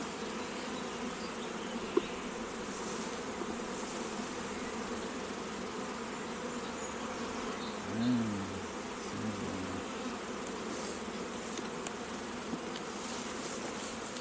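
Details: Continuous buzzing of many honey bees at an apiary raising queens, a steady even hum throughout, interrupted once by a brief low murmur of speech midway and faint clicks.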